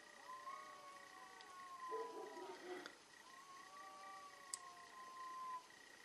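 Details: Fierce fight between cats: a long drawn yowl, a rough noisy burst of hissing near two seconds, then a second level, slowly falling howl, with a steady faint high tone behind.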